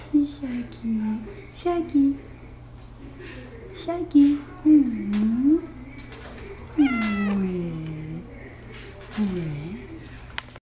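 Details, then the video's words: Attention-seeking Persian cat indoors gives a run of short mews, then longer, bending, plaintive meows, mixed with a person's voice repeating a word and light room noise. "Persian Wants Attention"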